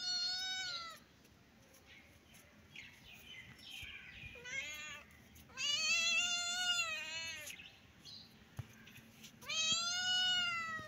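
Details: Baby kitten and adult cat at play, meowing repeatedly: long bright harmonic meows, some wavering and drawn out, with short softer mews between and faint background hum.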